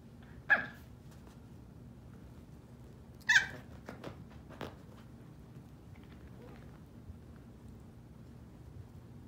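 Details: Miniature poodle puppies, three females and one male: two short, sharp, high yelps about three seconds apart, then a few faint soft clicks and scuffs in an otherwise quiet room.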